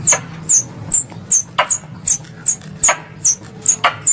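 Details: Squirrel lure call from Indonesia, made for hunters: thin, very high descending squeaks, roughly two to three per second, some backed by a clicking snap, over a low background hum.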